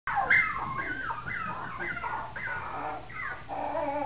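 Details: Biewer and Yorkshire Terrier puppies whimpering: a run of high, thin, whining cries, many sliding downward in pitch, overlapping and repeated about every half second with a steady soft background hiss.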